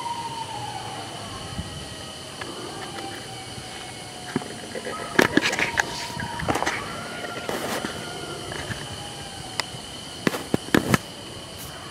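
Steady mechanical whining tones with scattered clanks and thumps, like a passing train, and no animal voice.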